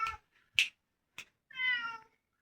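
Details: A cat that has come to a house meows once, a clear drawn-out call falling slightly at the end, after a few sharp clicks and taps nearby.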